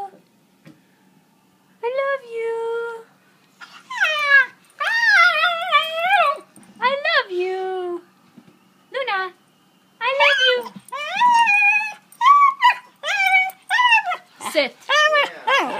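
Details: Pet dog Luna "talking" indoors, excited about a car ride and a walk: a series of wavering, yodel-like howls and whines, each one to two seconds long, bending up and down in pitch with short pauses. A woman's voice speaks softly between them.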